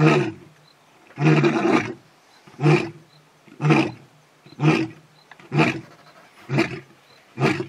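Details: A male lion at a waterhole in the bush in early evening gives a series of deep, rough, reverberating grunting roars, about one each second, calling the rest of his pride to join him.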